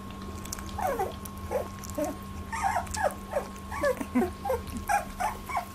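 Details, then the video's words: Eighteen-day-old Labradoodle puppies squabbling over milk for the first time: rapid falling squeaks and whines, about one a second, with a faint constant hum behind. "Labradoodle puppies 18 days 1st milk fight"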